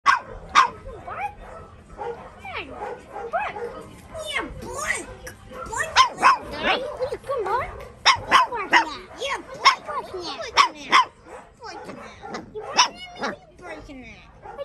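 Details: A 4-week-old puppy giving repeated tiny high-pitched yaps and squeaky barks in quick irregular bursts, with some soft human voices in the background.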